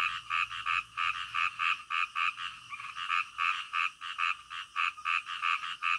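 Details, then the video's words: Midnight frog calling: a loud nearby frog gives a fast run of short, regular croaks, roughly three each second, with a faint chorus behind. "SUARA KODOK DITENGAH MALAM"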